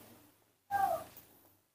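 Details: Newborn baby monkey being taught to eat papaya outdoors under a tree; one brief, squeaky tonal cry that falls slightly in pitch and lasts about a third of a second, over a faint low hum.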